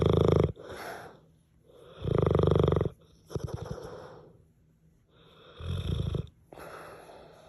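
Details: A sleeping French Mastiff-Pitbull dog snores loudly despite being called quiet: rough, low rattling snores in bursts about every two seconds, each loud inhale followed by softer breathy exhales.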